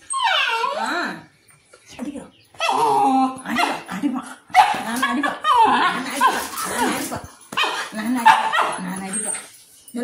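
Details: A white Pomeranian, apparently reacting to its owner seeming at risk, lets out shrill, rapid barks sliding into whimpering, howl-like cries in irregular bursts with short pauses; a person's voice is heard, and faint music follows.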